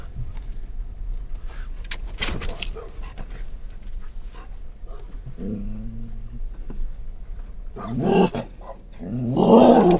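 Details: Scottish Terrier on a car ride in October 2010, reacting to passing stimuli: a short low harmonic grumble mid-way, then loud harsh growling barks building at the end, with steady road rumble beneath.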